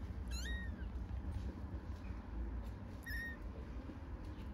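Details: Stray kitten in Istanbul stuck on a stone, unsure how to get down, giving two high, thin meows, each rising and then falling, spaced about three seconds apart over a steady low rumble of background noise.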